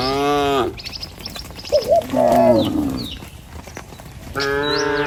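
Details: Village herd of tame cattle heading to their pen in the morning: a long flat moo opens, a wavering lower bawl follows, and another steady moo closes, with scattered bird chirps between.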